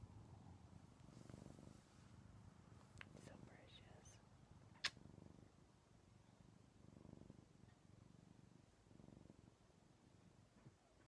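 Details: Snuggling male pet cat Paisley purring indoors, the TV paused: a quiet, low rumbling purr rising and falling in breathy swells every two seconds or so, with soft whispering and a small click partway through.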